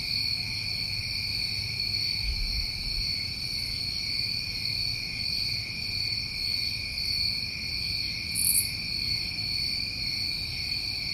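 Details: Summertime crickets on a New England night: a steady, unbroken high chorus of shrill trilling in layered bands, with one brief brighter buzzy burst late on and a low rumble of background noise beneath.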